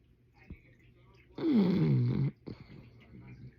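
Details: Sleeping bulldog snoring indoors: one loud, drawn-out, voiced snore close to a second long, sliding steadily downward in pitch, set between quiet, soft breaths.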